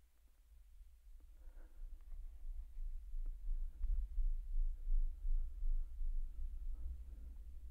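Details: One infrasonic blue whale song phrase, sped up into the human hearing range so that it lasts about half as long, rolls by as a deep, throbbing low rumble.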